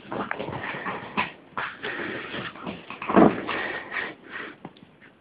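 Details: Mini Chihuahuas named Baby and Mia: soft whimpers and brief, thin yips mixed with busy rustling and shuffling noises, with one louder short squeal near the middle.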